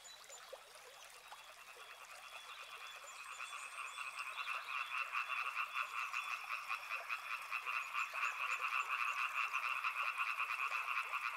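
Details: Frog chorus that begins softer and swells over the first few seconds, then holds as a loud, rapidly pulsing croak in two bands, with sharp rhythmic beats standing out.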